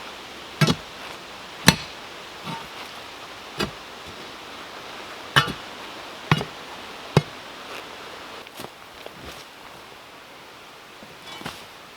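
Sharp, irregular chopping or hammering knocks over a steady outdoor hiss, with no animal voice heard.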